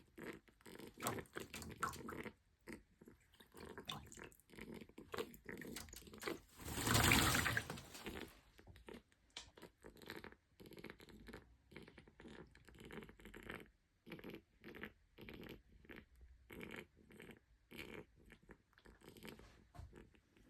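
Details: Excited pet pig in a bath, the noise stopping once he got out; rapid rhythmic snorting grunts in short irregular bursts, with a louder splashing rush of water midway.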